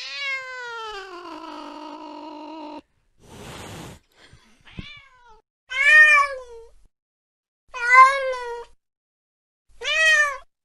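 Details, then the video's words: Late-night cat chasing a mouse gives a long, slowly falling meow, then a harsh breathy burst and faint chirps, followed by three short, bright meows about two seconds apart, each rising and then dropping. "tiếng mèo đuổi chuột trong đêm khuya"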